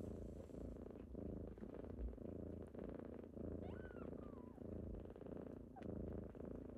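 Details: Kittens waking their owner in the morning give a strong, rhythmic low purr throughout, with one quavering mew that rises and then slides down in the middle.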